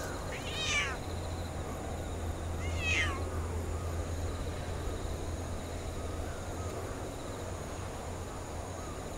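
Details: Stray orange tabby cat in a park, approached by a person, gives two clear, rising-then-falling meows about two seconds apart, then goes quiet over a steady low outdoor hum.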